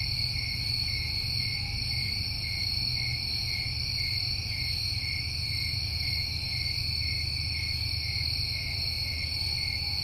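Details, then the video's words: Summertime crickets in New England keep up an unbroken high trilling chorus, two stacked steady buzzing tones, over a fairly strong low rumbling background noise. "Over 1 Hour Of Tinnitus Masking With Crickets"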